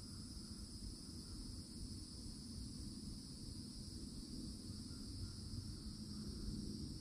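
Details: Cicadas droning steadily at the edge of a Florida forest in summertime, a flat, shrill two-toned hum with no breaks; faint bird notes drift in and out against a thick low rumble.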